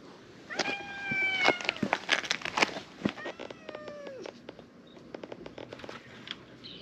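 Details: Stray cats crowding into a back alley of a fishing town in a large gathering; overlapping meows, one drawn-out and falling, another shorter, among rustling, clicks and handling noises.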